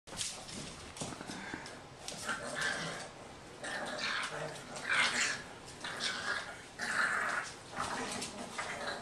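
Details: An English Bulldog puppy born October 2011 gives short, irregular yips, whines and grumbly barks while rough-playing with a Yorkshire Terrier in a living room in the Houston, Texas area.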